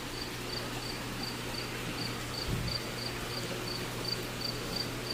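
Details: A cricket somewhere inside an indoor pool room, giving short high-pitched chirps repeated about every third of a second in a steady series over a low constant machine hum, with a brief thump midway.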